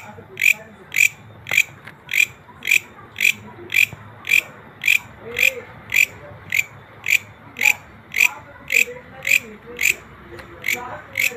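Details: Natural call of a green grasshopper, a regular train of crisp, rasping ticks at roughly two per second, evenly spaced throughout, over a quiet low background hum.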